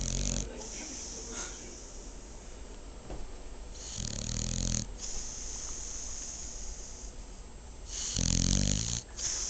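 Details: Sleeping female dog snoring indoors: rasping snores with a buzzy low rumble and hissy upper band, at about one second, four seconds and eight seconds, separated by quieter breathing.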